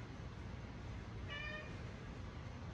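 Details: Domestic male cat politely asking for dinner at feeding time; one clear, tonal meow with rich harmonics, rising then falling, above a constant low rumble while a person coaxes him.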